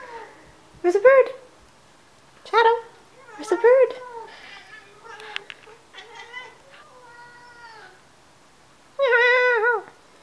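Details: Three younger domestic cats, excited while waiting for breakfast, chirp at birds on a patio in quick bursts of short, bright, warbling notes, some stretching into a brief mew; a grey tabby makes most noise, and a person speaks softly between them.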